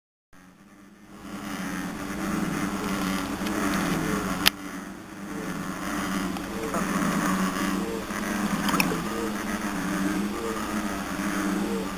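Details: A steady low engine drone, like a motorboat or vehicle, with a few sharp clicks and no animal calls.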